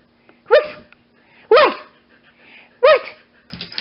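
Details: Wendy, a Siberian Husky awaiting adoption from Pet Harbor Rescue, gives three loud, harmonic, arching woo-like calls about a second apart indoors. Each rises and then falls. A woman's voice and a low hum sit in the background.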